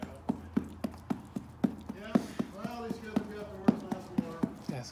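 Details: A male derby horse in his barn claps his lips together as a visitor approaches, making rapid, hollow smacking pops about twice a second. He keeps clapping until the man says "good boy."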